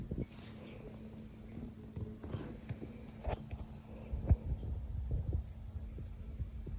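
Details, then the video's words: Indoors, a sleeping Siberian cat named Leo, mid-way through a long nap, gives deep, uneven rumbling snores with scattered soft clicks and a couple of stronger throaty pulses in the second half. "LOUD Snoring, Grunts"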